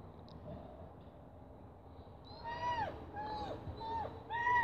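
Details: Whippet excited by a tripe stick in its ritual before eating it: a run of four high, drawn-out whines, each holding steady then sliding down at the end, coming quickly one after another over a low rumbling background.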